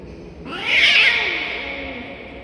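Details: Stray cat at feeding time, cats jumping at food; a single loud, drawn-out meow that rises sharply, holds strongly, then slowly fades over two seconds, with a faint background hum.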